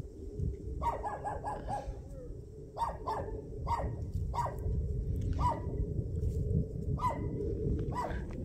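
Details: Country puppies met on a winter walk in rural Taean, South Korea, excited to see people and wagging their tails; short high yips in quick bursts of four, then single yelps spaced about a second apart, over a steady low outdoor rumble.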